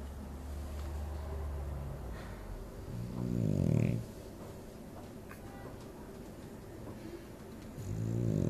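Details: A sleeping dog snores indoors: a low, rumbling, pulsed rasp swells for about a second, then quiet breathing, then another snore begins near the end.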